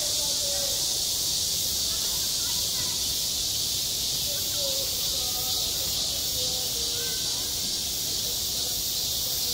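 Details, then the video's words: In midsummer at a school playground, cicadas keep up a constant shrill drone. Several faint, brief voice-like sounds rise and fade far below it. "한 여름 운동장에서 매미가 울고 있다"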